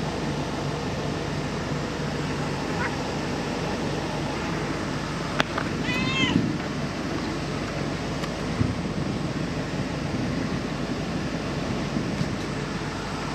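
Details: Stray cat filmed in the week of July 2023 gives a single short, arched meow about midway, with clear overtones, over a steady broadband outdoor hiss and a few sharp clicks.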